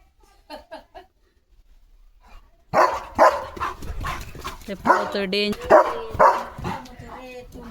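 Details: Leo, a German Shepherd, barks while running in his yard on a morning outing. After a quiet start with faint chirps, loud harsh barks begin about a third of the way in and repeat quickly, mixed with people talking.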